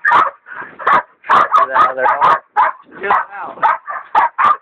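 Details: Dixie and Dollie, hog dogs including a leopard dog in training, baying a big sow: hoarse, ragged barks in clusters, one stretch with a harsher, strained howling bark, gaps between bursts.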